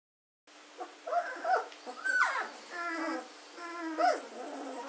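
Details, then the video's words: Fourteen-day-old German Shorthaired Pointer puppies, gundogs recorded on 24 August 2016, giving high whimpering squeals, some sliding down in pitch, with harmonic-rich cries and short gaps between calls. "german shorthaired puppies, aged 14 days old"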